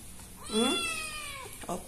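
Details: One shrill meow from a fearful kitten found behind a door in Indonesia. It swells fast, holds briefly and fades in under a second, with a short faint sound at the end.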